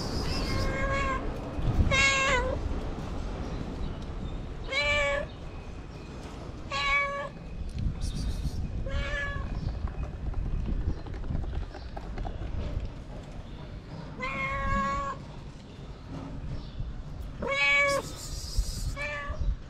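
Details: Homeless feral cats asking for food in the cold: clear, harmonic meows, some rising then falling, spaced irregularly every couple of seconds, with rustling and low outdoor noise between calls.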